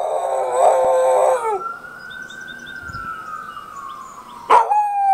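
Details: Keeshond howling at sirens; a harmonic howl falls away in the first second and a half, followed by a long, smooth siren-like tone gliding slowly down, then a sharp onset and a steady high tone near the end.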